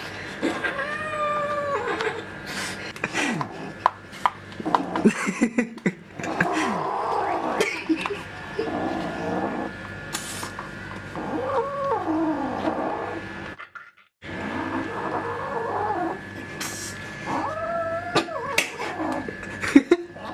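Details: Pet cats in a funny compilation, giving repeated drawn-out meows and wailing caterwauls, several bent up and down in pitch, with short clatters between them, a brief dropout near fourteen seconds and a steady high background tone throughout.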